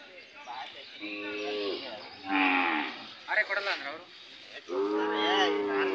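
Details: Hallikar cattle at a cattle fair in Cheluru, India, lowing repeatedly: several drawn-out harmonic moos, some overlapping, with brief bursts of human speech and bustling fair background between calls.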